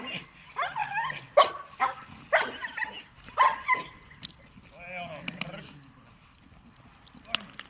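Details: Dog in protection training giving a few loud, clipped barks about one second apart, mixed with a handler's spoken commands and praise in Slovak.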